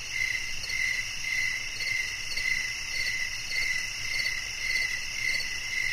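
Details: Cricket chirping: clear high pulses repeated at a regular pace of roughly two per second, rising and falling slightly in loudness above a steady hiss.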